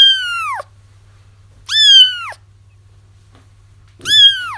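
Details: Kittens crying, used to lure a feral mother cat into a trap: three loud, high, harmonic meows that rise then fall, about every two seconds, with a low steady hum underneath.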